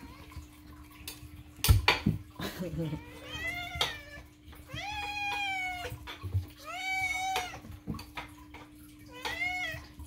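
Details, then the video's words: Domestic cat loudly meowing to demand food indoors: a run of drawn-out, harmonic meows, several arching up then falling, spaced a second or two apart, with a steady low hum, thuds and a little human speech between. "moo cat loudly demands: "NOM! NOM! NOM!""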